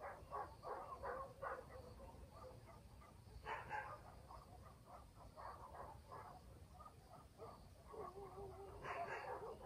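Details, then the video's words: Dogs in a village barking at night in the countryside, a quick run of barks at first, then louder barks at about three and a half and nine seconds, one drawn-out lower note between, under faint steady rural hum. "barking dogs in the village"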